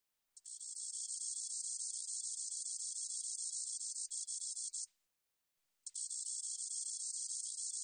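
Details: Spotted meadow katydid (Conocephalus maculatus), song.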